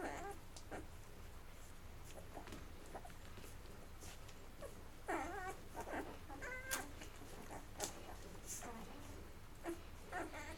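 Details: Mocha's Labrador Retriever puppies on day 11, eating until full and then crawling off to sleep indoors; high squeaky whimpers with wavering, rising tones come in short bursts over soft rustling and shuffling.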